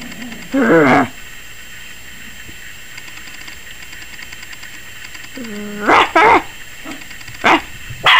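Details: Yorkshire Terrier puppy at 21 weeks, barking like crazy and seemingly afraid of the camera. A wavering whine rises into a bark, then after a pause comes a whine and a rapid burst of four or five high yaps.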